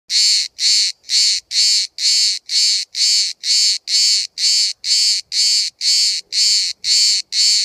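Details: A single cicada filmed from about 5 cm at Bodrum, Turkey, where hundreds call all day. It gives loud, even, buzzy pulses, roughly two per second in a steady rhythm, about sixteen pulses in total, over near-silent background.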